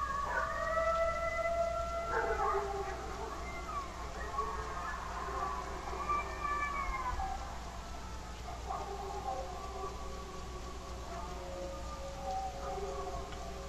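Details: Several dogs on a homestead howl together at coyotes in long, wavering, overlapping tones, protecting the chickens.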